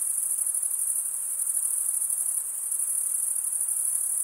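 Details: Male crickets chirp through wing stridulation in a constant shrill high-pitched buzz-trill, lightly pulsing, alone against a quiet background.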